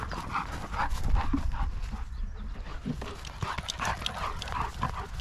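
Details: Long-haired German Shepherd, six months old, outdoors in a paddock on a sunny day, filmed on a GoPro 10: quick rhythmic panting breaths, roughly three per second, over heavy wind rumble.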